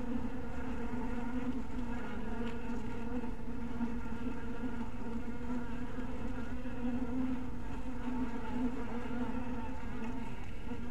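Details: A honey bee colony in a little hive house in twilight light makes a constant, deep, humming buzz that rises and falls only slightly over about eleven seconds.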